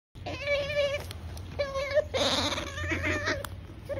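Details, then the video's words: Otter eating and making a funny nom-nom noise: squeaky, nasal, drawn-out whines of about half a second to a second, three in a row, with a crunchy chewing burst in between over a low background hum. "Otter makes funny nomnom noise"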